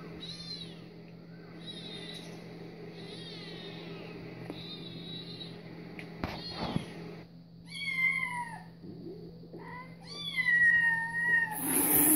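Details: Domestic cat named Louis reacting to cat videos: a few quiet meows early, then two clear, louder rising-falling harmonic meows near the end, over a steady low hum.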